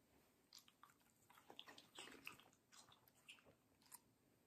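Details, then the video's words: Crunchy, juicy watermelon bites from Middle, a fluffy female Samoyed: a quick string of wet, clicky chews, about three per second, bright and crisp, with quiet gaps between bursts. "ASMR Dog Watermelon Review - Middle the Samoyed"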